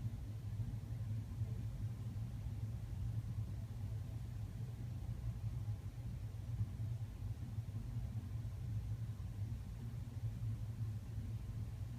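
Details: Steady low rumble with no animal sound, like an engine idling or a cat's purr too muffled to make out.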